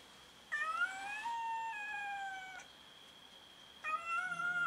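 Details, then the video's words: Domestic cats meowing while fighting each other over food; two long drawn-out harmonic meows, the first rising then slowly falling over about two seconds, a second starting near the end, with a steady high background tone. "Cats meow and fight each other over food"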